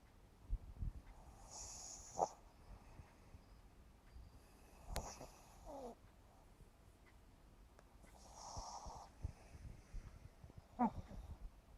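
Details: Asleep at 7.5 months old, the pug Yumax breathes noisily: soft, hissing, airy exhales recurring roughly every three to four seconds, with faint snuffles and small clicks in between, and no loud droning snore.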